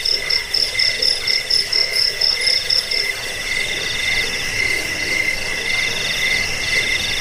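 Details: Cricket (jangkrik) chirps used to repel rats, lull to sleep and tutor cage birds; high pulsed chirping at first, fading into a continuous buzzing chorus with lower trilling notes.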